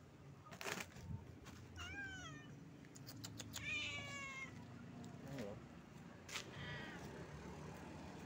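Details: Stray street cat meowing: two rising-then-falling harmonic meows near two and four seconds, the second longer and wavering, with short clicks and a low steady background hum.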